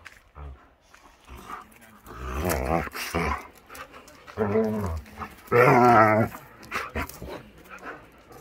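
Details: Akita Inu puppies playing wildly in the yard in warm weather, giving repeated throaty growls and grumbling bursts of varying pitch, separated by short pauses, with scuffling and thumping between them.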